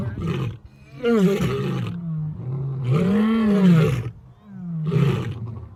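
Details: Lion roaring in separate bursts, with long low moans that swell and fade, separated by brief quieter gaps.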